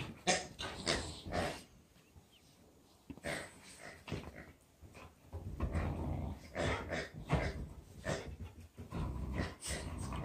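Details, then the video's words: Boxer dogs playing with a pig toy: rough growls and huffing bursts come in irregular clusters, broken by quiet gaps near two and four seconds, then resume densely through the rest of the recording. "Boxer dogs love the pig toy."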